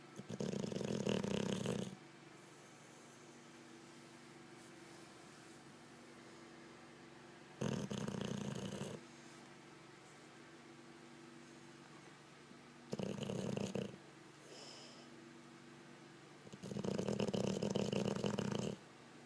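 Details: Olde English Bulldogge asleep and snoring, with loud, rasping, low snores of one to two seconds recurring about every five to six seconds, and near-silent breathing pauses in between.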